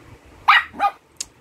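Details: Mixed Shih Tzu dogs at home, one seemingly afraid of another: quick sharp barks and yips, three bursts within a second and a half, with a person talking nearby.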